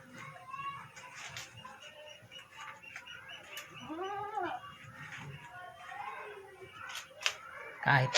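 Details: Backyard pet goats fed mulberry leaves during rain, sheltered indoors: a single drawn-out, arching, nasal bleat rises and falls midway, with fainter calls around it, background music, and a sharp knock at the end.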